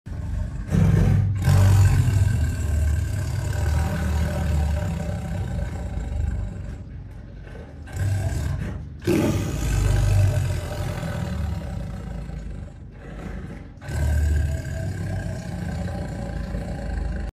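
A tiger gives deep, rumbling roars that rise in bursts and fade between them.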